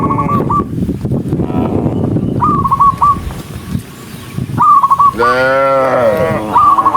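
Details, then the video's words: Cows running along a rural road: rumbling hoof and movement noise, scattered bursts of high chirping notes, then one loud, full, harmonic moo lasting about a second near the end. "Dozens of cows running happily along the rural road with the sound of their mooing, cow Sound"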